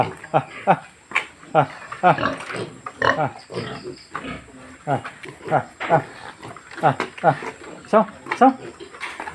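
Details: Duroc pigs on a farm in Darrang, Assam, India: a run of short, throaty, harmonic grunts, several per second with brief pauses, mixed with human voices nearby.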